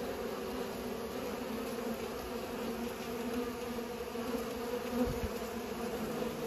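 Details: Bees pollinating, a steady, continuous low buzzing hum with layered droning tones, many insects humming together without pause, with a faint soft thud near the five-second mark.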